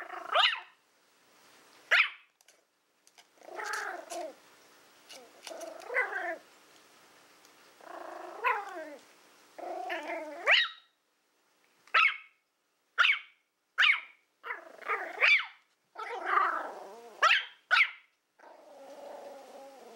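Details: Willow, a female Toy Fox Terrier born in April 2012, plays indoors with a pig's ear, giving short throaty growls and whiny yips in bursts of about one second, with brief quiet gaps between them.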